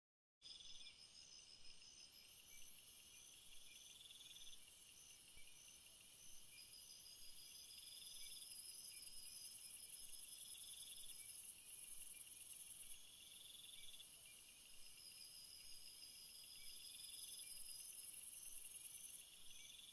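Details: Crickets in a field of flowers, several insects calling together in steady high trilling bands with pulsed chirps layered over them, the chorus swelling louder partway through, a continuous natural night-like insect background.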